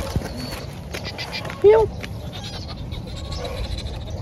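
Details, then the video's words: A thin kitten, found crying and in need of help, gives one short, high, slightly wavering mew near the middle, with soft human voices and low background rumble around it. "We found a thin kitten crying and Kitten needs help!"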